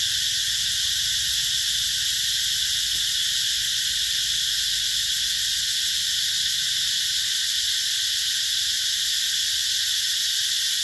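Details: Massed cicadas calling through summer 2021 in the green gardens of Mỹ Luôn, Mekong Delta: an even, hissing high-pitched whine sustained for the whole stretch, with a single faint click near the three-second mark.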